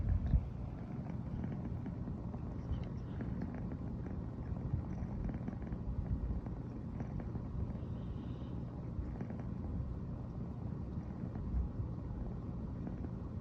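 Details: Riri, a female brown tabby American Shorthair cat born 15 September 2020, purring nonstop in the morning after first sleeping beside her owner; a steady, low, continuous rumble with an even rhythm and no other clear sounds.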